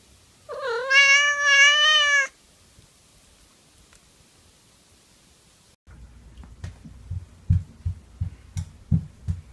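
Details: Affectionate, cuddling house cat gives one long, loud, drawn-out meow lasting nearly two seconds, wavering slightly in pitch and rich in overtones, followed by silence, then a series of soft thumping and rustling handling noises.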